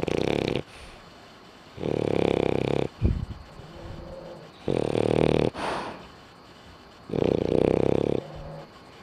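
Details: A dog snores while asleep with its eyes open: loud, rough buzzing snores lasting about a second, repeated every two to three seconds with quiet breathing between, four snores in all.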